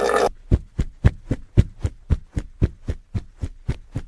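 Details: Hippopotamus giving a rhythmic run of deep, booming grunts, about two per second, each short and punchy with very low pitch, after a brief noisy opening.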